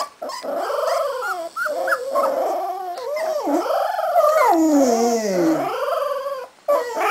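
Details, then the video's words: Howling litter of Cardigan Welsh Corgi puppies, 3.5 weeks old, at a Swedish kennel: overlapping wavering wails, rising and falling continuously, with a long sliding descending cry near the end. "Howling Welsh Corgi Cardigan puppies"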